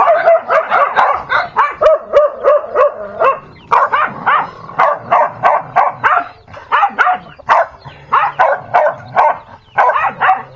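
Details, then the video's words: Fighting dog producing nonstop strings of sharp yelping barks, grouped in fast bursts of three or four with brief pauses, a short break near the four-second mark, then steady barking again. "Dog Fighting"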